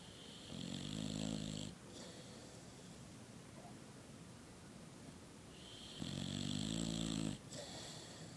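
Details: Female Boxer dog, asleep, her short pushed-in muzzle causing snoring: two long, rasping, rattling snores about five seconds apart, each lasting over a second with a buzzy low rumble and breathy hiss, quiet breathing between them.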